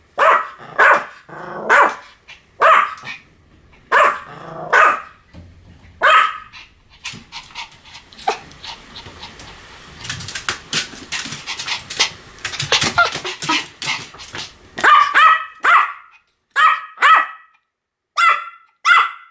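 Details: Pomeranian dog barking in sharp, high repeated yaps, mostly in quick pairs, with a stretch of softer, scratchy rustling noise and faint barks in the middle before loud barking resumes.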